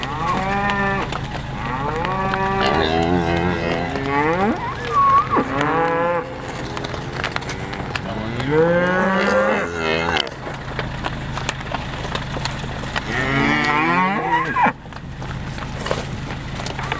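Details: Cows filmed on 13 June 2013 while attacking; loud, harmonic-rich moos repeated in several drawn-out bellows, some rising then falling, separated by short pauses, with a steady low hum underneath.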